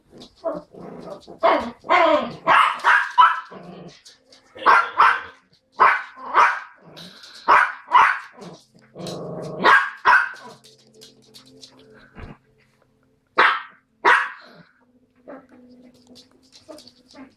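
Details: Yorkshire Terrier rocking Monkey, barking in rapid, sharp bursts, often in quick runs of two to four, with short pauses and a few spaced single barks toward the end; faint voices in the background.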